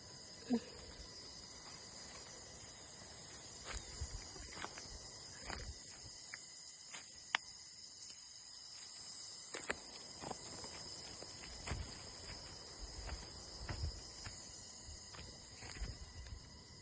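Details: Crickets in a natural outdoor setting keep up a steady, high, ringing chorus of continuous layered tones. Scattered sharp clicks and a few low thumps, like footsteps or handling, break in now and then.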